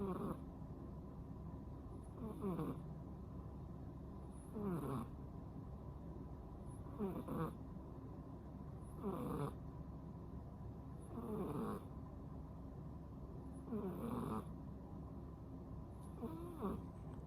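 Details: Snoring from a ten-month-old rescued female cat asleep with half-open eyes: eight rhythmic, wheezy breaths with faint whistles, evenly spaced about two and a half seconds apart, low background hum throughout.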